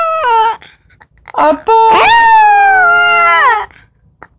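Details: Mingki, a black-and-tan long-haired Chihuahua, answers when called, head raised: a short falling note, then a long steady howl that slides up and holds before dropping away, recorded indoors.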